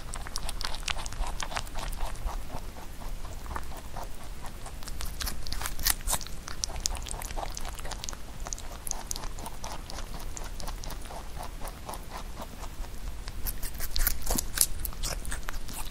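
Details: Close-miked pet rabbit eating Korean melon; sustained crunching and nibbling clicks, busiest midway and again near the end, with a low steady rumble underneath.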